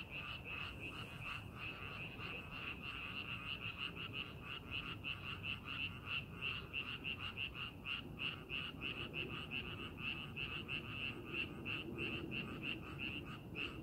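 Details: Frogs calling in a rice paddy being prepared for farming: a dense chorus of rapid, pulsing croaks, about three per second, overlapping steadily, with low background rumble.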